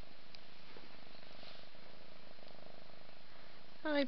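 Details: Mother cat purring while bathing her five-month-old kitten indoors: soft, low, steady rumble throughout, with a brief high meow right at the end.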